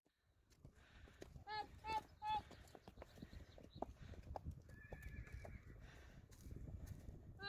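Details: Friesian horses being moved to pasture on April 20, 2019, five joining three others of the herd; three short harmonic whinny-like bursts in quick succession, then hoofbeats on the ground, people talking and a brief steady tonal sound.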